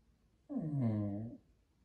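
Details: Jack Russell Terrier kept as a family pet, vocalizing as if in dialogue with its owners: a single drawn-out, low moaning utterance under a second long, sliding slightly down in pitch, in a quiet room.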